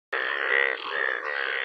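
A frog gives a loud, drawn-out, nasal croak with a brief break midway.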